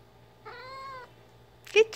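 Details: Ginger the cat, busy playing fetch with her favourite toy, gives one steady, slightly falling harmonic mew lasting about half a second, followed by a short bright chirp at the end; low hum in the background.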